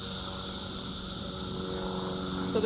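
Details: Cicadas drone in a dense, steady high-pitched hiss that holds unbroken and evenly loud throughout, with a faint low hum beneath and a brief soft sound near the end.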